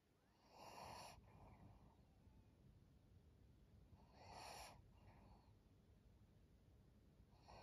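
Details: Maria, a twelve-year-old fawn female pug, a senior dog in Japan, recorded 12 April 2023; two loud, rasping breath bursts roughly three and a half seconds apart over a quiet room with a faint steady high hum.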